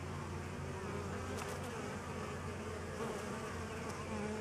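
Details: Continuous deep buzzing from honey bees at a DIY pollen substitute, unbroken and even, with a couple of short clicks near the middle.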